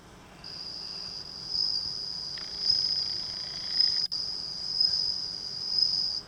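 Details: Captive bell cricket raised from a newly hatched nymph beside a house entrance near rice fields in June, singing at night: a continuous high, pure ringing trill, steady and bell-like, with soft background hiss.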